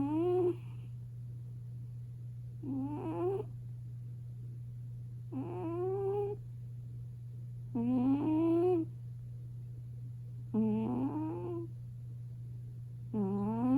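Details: A British Shorthair cat, possibly a chubby, short-legged five-year-old female, snores very loudly while sleeping on top of a warm kotatsu in a quiet room, giving tonal, rising wheezes about every two and a half seconds.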